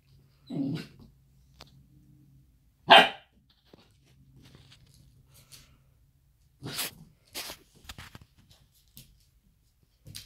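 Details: Puppy named Jordi, startled by his own reflection in an electric fireplace indoors, lets out a low growl, then a sharp single "bwoof" and a few later soft yips, separated by quiet gaps and faint clicks.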